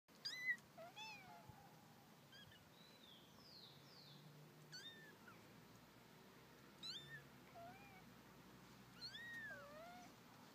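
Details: Mother cat calling her kittens back to the nest: soft, bending meows, rising then falling, repeated every few seconds, mixed with the kittens' high, thin, quick mews over a faint steady hiss.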